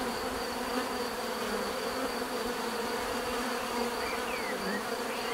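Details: Continuous natural buzzing of many bees, an even layered hum holding steady for the whole stretch, with faint short bird whistles sliding in near the end.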